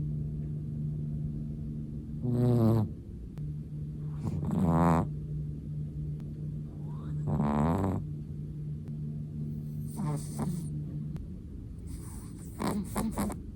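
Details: Chihuahua dozing, letting out slow rattling snores about every two to three seconds, each a coarse vibrating inhale, with a low humming tone running underneath.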